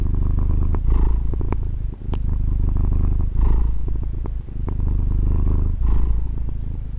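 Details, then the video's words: Deep rhythmic purr of a female domestic cat, recorded on a Tascam DR-40: an unbroken low rumble rising into breathy peaks three times at even intervals, with a few sharp little clicks between them. "Fusa di Gatto ASMR | registrazione con Tascam DR-40 gatto che fa le fusa"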